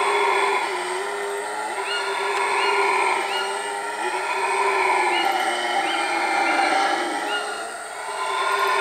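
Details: Howler monkeys calling at Iwokrama Resort in Guyana, a continuous deep roaring chorus rising and falling in loudness, overlaid by repeated brief upward-sweeping bird whistles.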